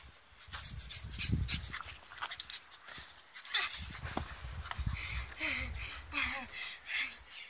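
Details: A blue French Bulldog at play gives rough snorting grunts, pants and short whiny yelps in quick irregular bursts.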